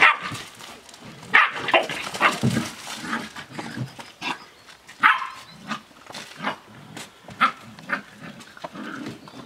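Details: Australian Shepherd puppies, seven weeks old, playing together: short high yips and squeaky growls in quick irregular bursts, with scuffling and clattering noises between the calls.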